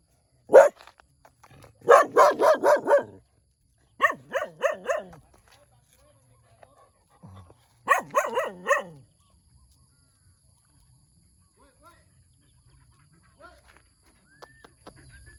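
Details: A cute puppy barking in the morning: high, yappy barks with a single yelp, then rapid runs of four to eight barks in three bursts, separated by short silences. The background is otherwise quiet.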